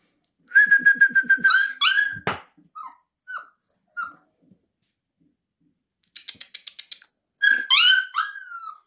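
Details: Grey-and-white female Siberian Husky puppy, born 28 December 2023, recorded at a kennel near Moscow on 2 February 2024; high whistled whines and yelps in quick repeated bursts, some sliding down in pitch, with short pauses between.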